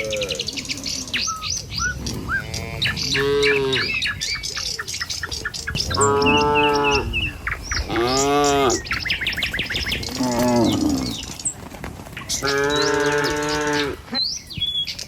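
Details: A herd of tame cattle walks through a village in the morning, driven by a herder towards feeding fields. About five long, wavering moos come at uneven intervals over constant twittering birdsong.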